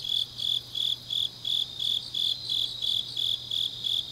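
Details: Autumn night grass insects from Changnyeong, Gyeongnam, Korea, trilling in evenly spaced high bursts roughly three per second, a softer buzzing layer overhead and a faint steady low hum underneath.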